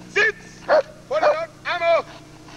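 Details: Working German Shepherd Lord v. Gleisdreieck DDR, from 1995 home footage taken off a TV screen, gives four short, tonal, slightly whining barks spaced unevenly across a couple of seconds over a low hum.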